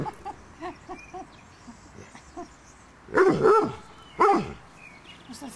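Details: Five-week-old Doberman puppies: a string of soft, quiet yips through the first half, then two louder, rough barks about a second apart.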